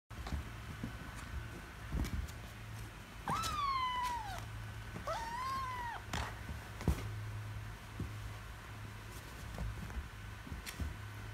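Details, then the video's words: Kitten meowing after losing a wrestling bout, angry: two clear descending meows near the start, the second with a rising-then-falling bend, amid quiet indoor rustling and taps. "Cute Kittens Gets Angry When Lose Wrestling, Meowing Loudly And Screaming"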